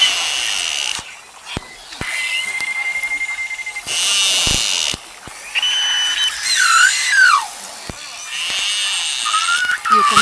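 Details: Beluga whale contact calls, stereotyped and repeated to keep group cohesion and mother-calf contact: whistled, warbling tones sliding up and down over a buzzy underwater chatter.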